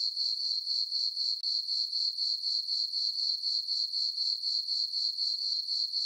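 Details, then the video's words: Crickets chirping on a peaceful summer night in a meadow on a farm under a full moon; a steady high-pitched trill pulsing about four times a second, with no other sounds. "Cricket chirping sounds for sleeping"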